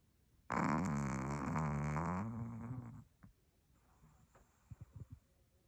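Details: Dog snoring loudly in a long rough drawn-out rumble with a buzzing, vibrating texture for about two and a half seconds, then softer breathing and small clicks in a quiet room.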